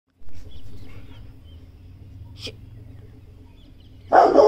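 A Rottweiler gives a single loud, harsh bark after a stretch of low background hum.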